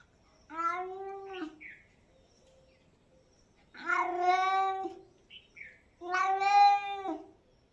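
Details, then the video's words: Domestic cat giving three drawn-out meows, tonal and harmonic, each roughly a second long with a brief falling tail and a small chirp after, indoors and otherwise quiet. "Cat sound to attract cats 😻 realistic multiple meows"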